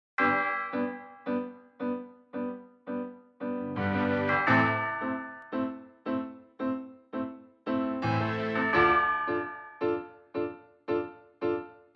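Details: A keyboard melody of repeated chiming notes in short, regular phrases is heard, with no animal voice.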